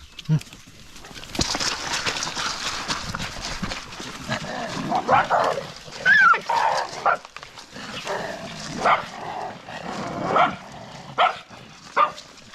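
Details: A stray dog gives short barks and whiny yelps in scattered bursts, a second or two apart, over a steady outdoor background with human voices mixed in.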